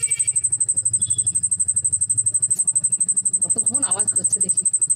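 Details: Cricket calling indoors, a high thin trill pulsing about four times a second throughout, with a person's voice speaking over the latter half.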